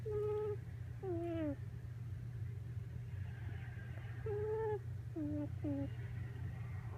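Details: Miniature Pinscher puppy Coco napping on a lap after playing wildly, face buried so the nose is pressed, filmed December 8: a series of squeaky, nasal, tonal whines, some gliding downward, others short and paired, over a steady low hum.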